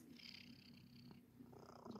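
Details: House cat in a kneading, biscuit-making mood purring; a brief, steady low vibrating rumble with slight breathy texture, quiet indoor surroundings.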